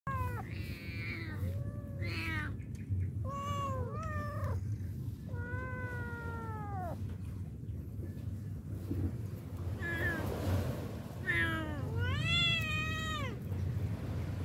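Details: Stray street cat meowing: about seven clear, arching, tonal meows, some drawn out and wavering, others short, spaced unevenly over the stretch, over a steady low rumbling background noise.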